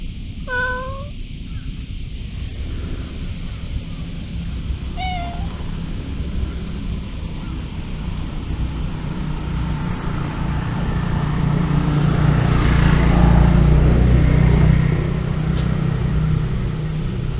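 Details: Mr. Nipper, a pet cat, gives two short, clear meows with bright overtones, one at the very start and another about five seconds later, over a steady low rumble that swells in the middle.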